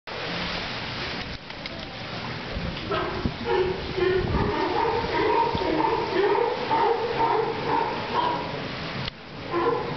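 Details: Sea lions at Santa Cruz giving hoarse, honking barks that overlap in quick succession, several voices calling at once over a rough background.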